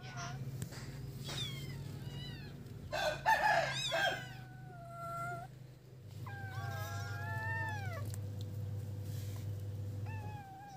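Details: Feral kittens playing together on a piece of wood give high, thin meows that arch up and fall, with a cluster of overlapping squeaky calls midway and several drawn-out cries near the end, over a steady low mechanical hum.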